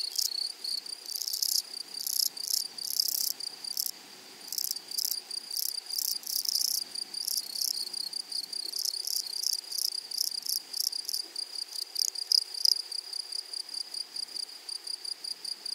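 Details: Grasshoppers in a flowery meadow: a shrill, high-pitched insect chorus with a steady thin tone and bursts of rapid pulsed buzzing that swell and fade, briefly thinning near the fourth second.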